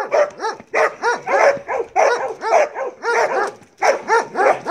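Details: Marley, a Belgian Malinois, during bite work training: rapid, harsh barks about every half second in short bursts, each bark rising then falling in pitch, with brief pauses between bursts.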